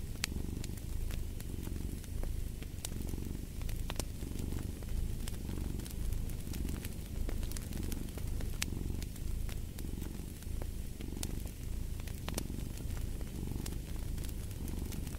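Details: Long stretch of steady cat purring, a throaty rumble pulsing evenly about once a second, set against the irregular snapping and crackling of a fireplace.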